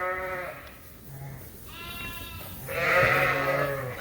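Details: Suffolk lambs at Ewetopia Farms, about 120 lambs mixed into one group in the barn after an open gate, racing around the pen; three overlapping bleats, short then longer and loudest last, with a low voice murmuring beneath.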